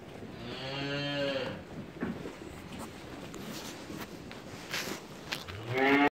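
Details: Rams offered for sale by live weight; a low, drawn-out bleat rich in harmonics lasting about a second, a stretch of rustling and shuffling, then another loud bleat beginning at the end.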